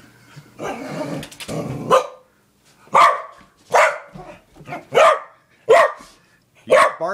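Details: Nana, a fun-loving female corgi, lets out loud single barks roughly once a second after some opening rustling and speech, each bark short and punchy.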